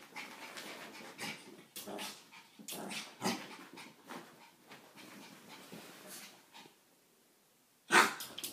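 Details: A pet dog named Chewy, playing with her own reflection for about fifteen minutes, pants in quick noisy bursts with breathy rasps, then a pause of near silence before one sharp loud bark-like burst near the end.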